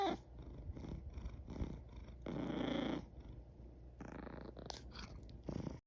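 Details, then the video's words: Yawning cat at close range: soft, pulsed low purring in short bursts, a longer breathy rush of air in the middle, then a brief higher squeaky vocal note near the end, in a quiet room. "Sweet sounds of a yawning cat | Esneyen kedinin tatlı sesleri"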